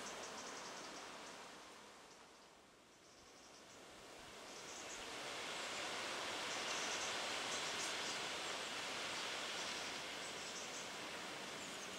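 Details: Steady broadband rushing noise, like wind or running water, fills a garden scene, swelling slightly after a brief dip, with no animal voice heard.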